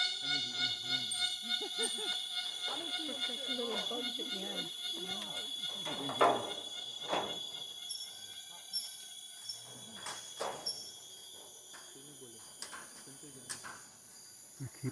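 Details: Cicadas, possibly Tacua speciosa, drone in steady high bands at dusk in the Danum Valley Conservation Area rainforest, Borneo, on 3 May 2023. A louder sweeping call rises and falls as they seem to move around, and a man speaks quietly.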